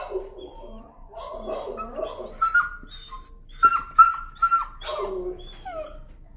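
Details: Timid dog fearful of leash pressure, protesting while being walked: thin, high whining whimpers and squeals, some held as steady tones, rising into a few sharper yelps midway, softer toward the end.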